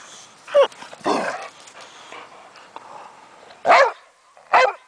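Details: Travis, a 9-year-old Boxer, plays rough in the backyard with his 12-year-old foster sister Suga' Bear. Loud barks are spaced irregularly: one early, then two close together near the end, with quieter rustling and panting between them.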